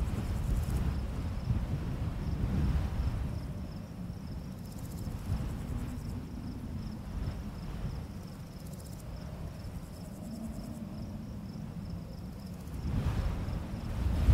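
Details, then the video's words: Summer full moon night in a barley field, crickets sounding a continuous, evenly beaded high-pitched chirp, while wind blows strongly through the grass in low, surging gusts that rise again near the end. "Crickets Chirping and Wind Sounds"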